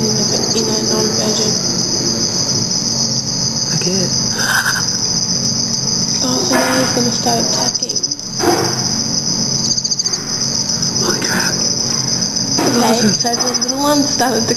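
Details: Black field crickets (Teleogryllus oceanicus) under red light at night during mating and aggression between small and large males near a female; steady, high, shrill trill while people talk quietly, unsure if calling or mating song.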